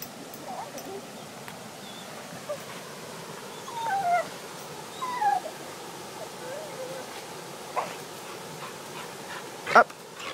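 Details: A female Bull Terrier gives brief, high, falling whines while swinging on a rope, which she loves, with a woman's encouraging voice nearby.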